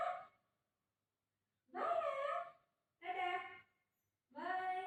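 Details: Golden Retriever Buzo reacting after his mum says she is leaving him; three drawn-out, tonal, moaning whines about a second each, separated by short pauses, indoors.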